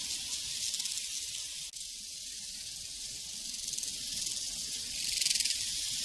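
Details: A prairie cricket chorus: continuous high, hissing trill made of fast overlapping chirps, steady in loudness, swelling slightly near the end, with one brief dropout.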